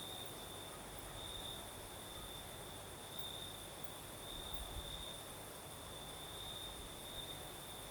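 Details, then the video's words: Southern Crimea at night: crickets keep up a steady high-pitched trill with occasional stronger pulses, while a night breeze fills the background with continuous hiss and faint low rumbling. "Звук ночи. Юг. Крым. Сверчки поют. Ночной бриз."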